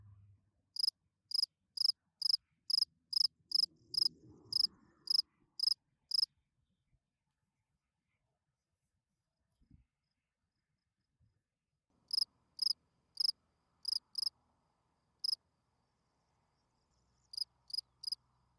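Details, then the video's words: Night chirping of a spring field cricket, its calling song to attract females: high, clean pulsed chirps in quick runs of about ten, a long silent gap, then further shorter bursts, with faint low rumbling between them. "Field Cricket chirping"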